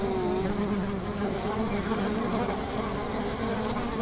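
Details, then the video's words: Honey bee hive by a river, a dense continuous buzzing drone with steady low humming tones and a faint hiss, unbroken and even in loudness throughout. "Honey Bee ASMR - 150 Hz Buzzing Bee Hive by the River"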